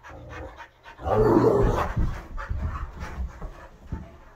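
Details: A Great Dane, a wolf-hybrid and an Aussie mix tussle in a living room where visiting Bo joins the mosh pit; a loud breathy burst gives way to quick, uneven panting breaths.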